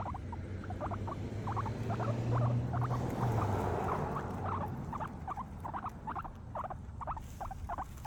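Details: Happy guinea pigs eating grass: rhythmic, crunchy munching, about two bites each second, fades in and out over a steady low humming drone.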